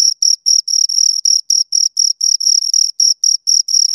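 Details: Two crickets give a shrill, pulsing chirp close at hand, bursts of varying length repeating about four times a second in a clean, quiet setting.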